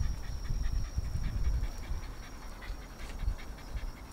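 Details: Pet Shiba Inu Narihira panting indoors during a home pet-sitting visit in Yaizu, Shizuoka, Japan, 26 August 2018, about two soft airy breaths per second, uneven in rhythm, with low background rumble and a faint steady high whine.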